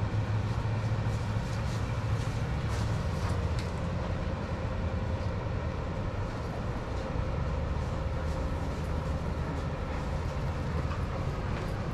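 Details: Steady low rumble of a passing train with rhythmic rail clatter and no animal voices.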